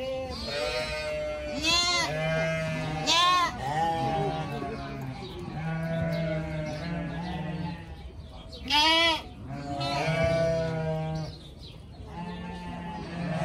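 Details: Several young pygmy goats at play, chasing and butting each other, bleat again and again: quavering, harmonic cries, a few loud and strained, set against a low continuous hum.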